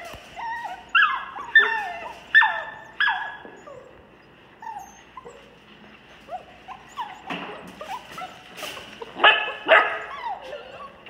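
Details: Several rescue puppies, described as a pit bull, Labrador and cur mix, make high whimpering and yelping cries, many sliding downward, in bursts near the start and again toward the end, with quieter whines between.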